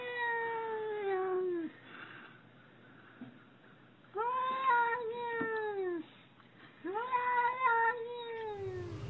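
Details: A pet cat indoors gives three long, loud yowling meows about two to three seconds apart, each starting high then sliding gently down, with quiet gaps between.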